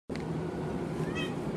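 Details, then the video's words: Domestic cat meowing indoors because it wants something such as food, water or a toy; a short harmonic meow near the end over steady low background hum, with a person speaking softly. "Haley Cat Wants Something"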